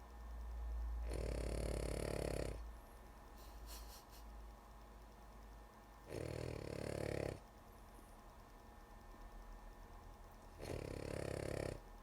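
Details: Lulu, a drowsy female dog, snores in a quiet room. Three long, gravelly rattling breaths about four seconds apart, each deep and buzzy, with soft breathing noise between them.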